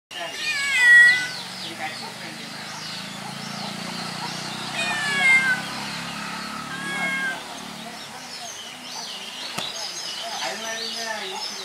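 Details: A white domestic cat gives a few drawn-out, wavering meows over a low background murmur.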